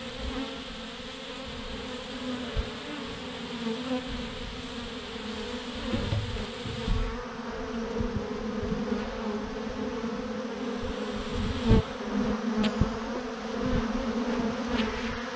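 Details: Thousands of honey bees hanging in a massive swarm clump on a branch: a dense, steady, droning buzz with layered humming tones, over low rumbling noise and scattered thumps.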